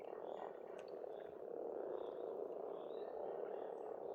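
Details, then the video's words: Frogs croaking at a pond on an Estonian farmstead in spring: a dense, unbroken low purring chorus of many callers, with a few faint bird notes high above. "Расслабляющее пение птиц и лягушек, весна, природа."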